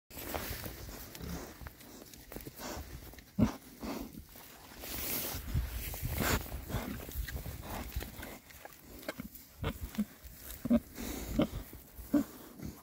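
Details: Six rare breed Oxford Sandy and Black pigs, all boys, foraging outdoors in winter between storms; short low grunts scattered through a background of rustling and snuffling, with a few sharper grunts near the end.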